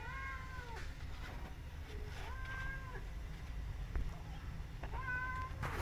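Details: Kitten adopted by a mother cat alongside another rescue kitten; three drawn-out, high mews with a gently falling tail, spaced about two seconds apart, over constant low rumbling background noise and a brief knock.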